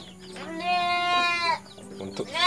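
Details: Bottle-fed orphan goat kid on a farm, its mother dead: one sustained, nasal bleat lasting about a second, followed by the start of another rising bleat, with light background noise.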